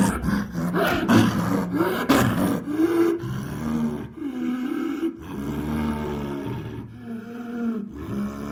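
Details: Snow leopard, a large cat of Central and South Asian mountains, giving deep, rough, continuous growling with rumbling low tones that swell and fade over several seconds.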